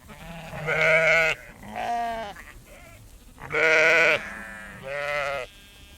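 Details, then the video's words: Herd of sheep walking around close by as a female farmer shakes food; loud harmonic bleats, four clear calls spaced about a second apart, some wavering and quavering, over a quiet background. "Herd of sheep walking around close bleating as female farmer shakes food"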